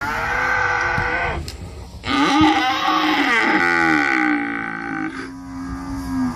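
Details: Real cow mooing, presented as an 8D animal sound effect: long harmonic-rich lowing calls, one ending near 1.4 seconds and a louder one from about 2 to 5 seconds, with a wavering tone that drops in pitch toward the end.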